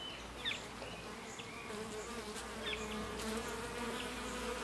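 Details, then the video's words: Several bees fighting while drinking. Their continuous droning buzz rises and falls slightly in strength, broken by a few short high squeaky chirps in the background. "Bees Drinking 0009 - Fight"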